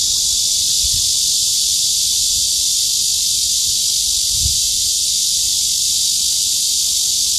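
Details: Cicada song heard as a loud, steady, high-pitched buzzing drone that holds at an even level without a break, with a couple of faint low thumps near the first and fourth seconds.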